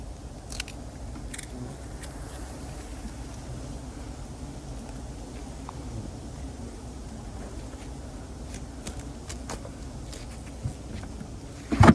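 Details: Quiet outdoor background hum with scattered clicks and knocks from handling, ending in a short burst of rustling, with no animal voice.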